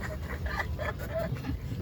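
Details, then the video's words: A sleeping dog snoring: a low, rough, rumbling drone that runs steadily through the whole short stretch, with a faint nasal rasp over the top and no other sounds. "The Snoring Dog"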